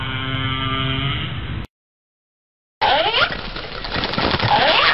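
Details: A whale's layered harmonic moan holds steady for over a second, cuts to silence, then gives way to a noisy underwater stretch with curving whistle-like sweeps.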